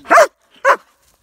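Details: A dog meeting another dog at a campfire during a fall 2017 backpack camping trip at Devils Den, Arkansas. Two short, sharp barks come about half a second apart, followed by quiet.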